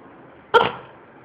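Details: Panky, a red poodle, asking for toast: one short sharp bark with clear harmonics, a single yip-like burst lasting a fraction of a second, followed by quiet room tone.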